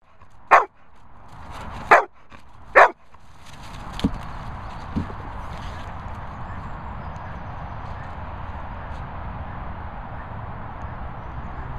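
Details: Labrador Retriever at a dog training and boarding kennels in Worcestershire countryside: three sharp, loud barks in the first three seconds, then two faint thumps and a steady low background hum.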